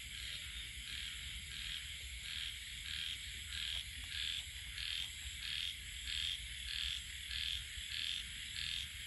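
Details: Frogs in the rainy season giving a steady run of short, high, twangy croaks, roughly one and a half per second, fairly regular, over a constant hiss of insects or rain.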